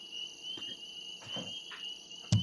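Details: Spring peepers, Maine's smallest frogs and among the earliest to call in spring, give a steady, high-pitched shrill of many peeping voices blended into one ringing tone.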